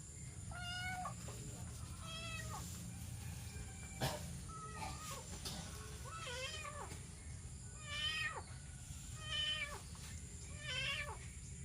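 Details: Abandoned kitten found crying for help by a road along rice fields on a morning walk, giving a string of high, wavering meows, each rising then falling, about one every second and a half, over low steady background rumble.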